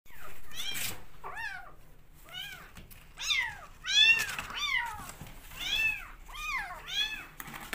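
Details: Rescue kittens calling while competing for bottle feeding: a rapid series of high, arched mewing cries from several kittens, overlapping and repeated over a second each, growing louder midway, in a small indoor room.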